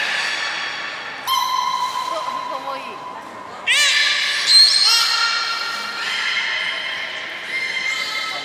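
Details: A beluga training session with Gray, Nana and Niko at Port of Nagoya Public Aquarium, 14 October 2019. Overlapping reedy, harmonic tones switch pitch abruptly, with rising swoops and a bright squeal, in a reverberant indoor hall.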